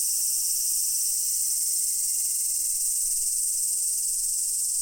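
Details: Steady, intense high-pitched buzzing of many cicadas singing together at Daichuji temple in Ōhira town, an unbroken wall of sound with no other clear noises.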